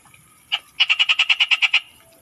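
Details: A frog heard in the Philippine provinces gives one short note, then a quick run of about nine evenly spaced, rattling pulses, clear and loud over a quiet background.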